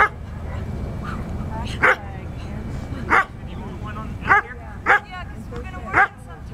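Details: Standard Poodle male during Schutzhund bite work training, barking in five sharp single barks spaced roughly one second apart over steady low background rumble.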